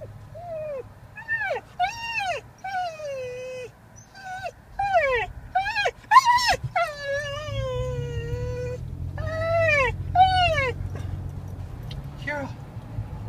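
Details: Excited dog on the way to the beach to play with friends, giving repeated high, bent whines and yips that rise and fall in pitch, with a low vehicle rumble and a woman talking to it.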